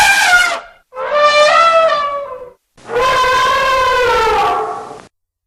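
An elephant gives three loud, brassy trumpet blasts with a rich, horn-like tone. The first two are short and the third is held steady for about two seconds before cutting off.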